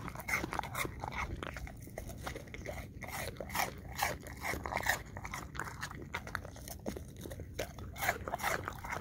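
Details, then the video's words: Crunching and chomping from an English Cream Golden Retriever eating pieces of apple, roughly two bites a second in an irregular rhythm, with moist chewing noises and a constant low-pitched hum behind. "Dog ASMR 1 Hour Long Looped - Eating Apple Chunks - English Cream Golden Retriever"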